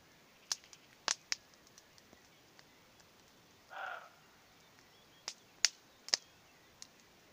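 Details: Roe deer calling in the distance on a fine spring evening with hawthorn in bloom: one short, harsh, hoarse bark near the middle, set against sharp crackles and pops from a nearby campfire.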